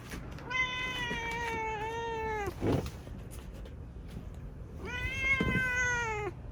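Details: Ciel, a seven-year-old female black cat, gives two long, drawn-out meows, each steady in pitch and rich in harmonics, separated by a few seconds of quiet room sound with a brief soft thump in between.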